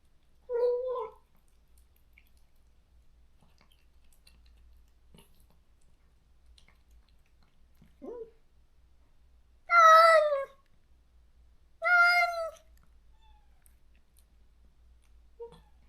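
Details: Separated from its companion after neutering, a stray cat in a country yard cries out. A short meow and a faint chirp come first, then two loud, drawn-out wails two seconds apart, with quiet pauses around them.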